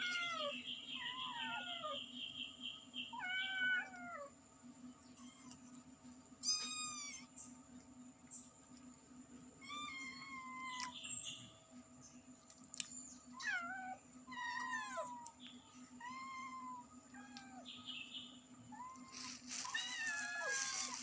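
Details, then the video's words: A cat and kittens meowing loudly and repeatedly: many short, bent, harmonic mews come in irregular clusters throughout, some high and squeaky, others lower and longer, with a steady background hum. "Cute cat and kittens meowing loudly"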